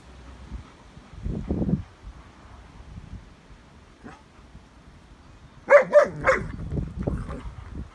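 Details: German Shepherd from a pack out in the sunshine, giving a quick burst of three sharp, loud barks in close succession, preceded by soft low grumbles and shuffling, then followed by quieter huffing sounds.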